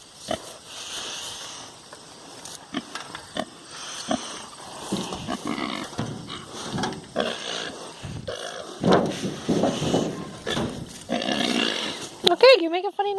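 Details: A pet pig, now grown big, makes a run of funny noises in reaction to something its owner does: rough grunts building to louder, harsh squealing bursts, with a woman talking and background music at times.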